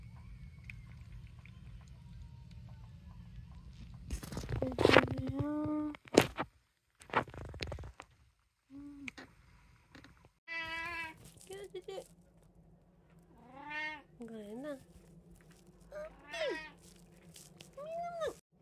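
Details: Domestic cat from a household of three cats, called at mealtime, gives a string of clear, rising and falling harmonic meows in the second half, after earlier handling noises and thumps indoors.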